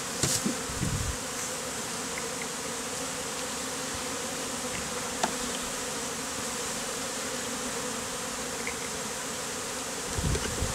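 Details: Mass of honey bees clustered as a bee beard on a beekeeper in the heat, bees freshly hived out of a statue; a steady, dense droning hum with bands low and mid, unbroken for the whole stretch, with a few soft knocks at the edges.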